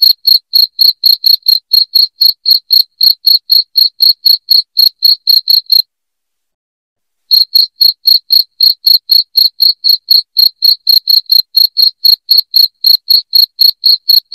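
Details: Piercing chirps of a cricket, used as a rat-repelling sound for homes. Even, fast trains of bright clicks, roughly four each second, stop for a short silent pause near the middle and then start again. No other noise is present.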